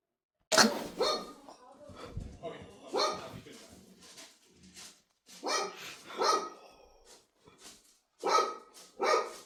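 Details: Dog giving sharp, loud barks in irregular bursts, several close together, mixed with people's voices talking nearby.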